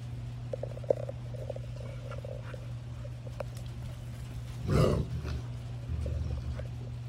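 A Rottweiler holds a low, continuous rumbling growl as a warning in a standoff over a bone. Pulsing overtones rise and fade through the growl, and a short, harsh outburst breaks in about two-thirds of the way through.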